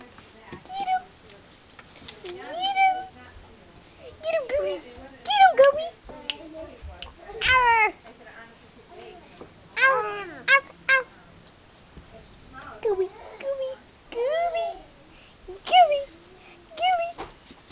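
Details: Yorkshire Terrier puppies at a Michigan breeder playing together, giving bursts of high, wavering whines and short yelping cries, some rising then falling, in clusters separated by brief quiet gaps, with a faint steady high tone in the background.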